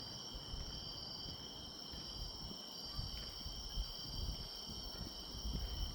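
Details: Autumn grass insects on a path walk keep up an unbroken high-pitched trilling, with heavy low rumble from wind or handling and a few soft thumps.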